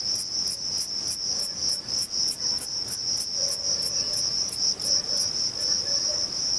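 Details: A male Thyreonotus corsicus bush-cricket stridulates by rubbing its reduced wings together in an orange grove at Vilella, Sueca, in early August. It gives a rapid series of sharp, high, ticking chirps over a steady shrill hum.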